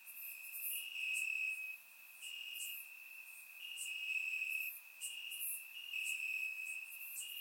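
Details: On a warm summer night in Bulgaria, crickets in the grass keep up a sustained high-pitched trill, rising and falling in strength in slow waves, with sharp higher insect chirps dotted through.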